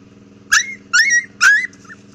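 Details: Cute little pet dogs give three high whimpering yelps, each sliding upward in pitch and lasting about a quarter second, spaced roughly half a second apart, over a faint steady low hum.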